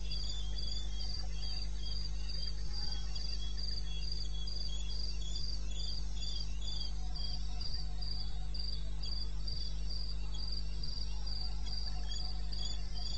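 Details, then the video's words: Eastern Botswana wilderness at 2:30 AM in May, crickets giving rapid, regular high-pitched pulsed chirps with a fainter second caller, backed by a continuous low hum. "1 Hour cricket sound-Africa-No loop-Real recording. Not edited."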